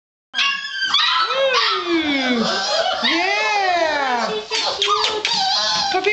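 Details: Litter of six-week-old puppies whining and yelping together in overlapping high, arching cries, while a woman talks to them cheerfully in the background.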